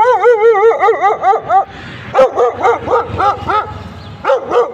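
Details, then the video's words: A terrified dog barks after suddenly waking up: a rapid run of high, wavering, yelping barks with rich harmonics. About six come close together, then after a short pause roughly eight more separate yelps follow, loud and clear. "Terrified dog barking after suddenly waking up"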